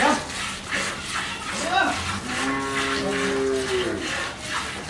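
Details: Friesian cow in Pabna, Bangladesh, kept on a dairy farm after her first calving with a heifer calf; a long low moo with a rising then steady tone near the middle, over constant background hiss and brief distant voices.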